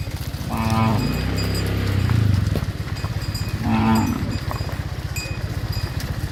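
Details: As dozens of tame cattle are driven back into their farm pen, low drawn-out moos rise over a steady throbbing engine hum, followed by a second shorter moo.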